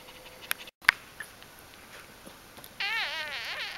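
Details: Newborn puppies of the dog Aris during birth and their first four days, 1–4 October 2012, indoors; a wavering, high-pitched whine with rippling overtones rises and falls for about a second after quiet room noise and a few clicks.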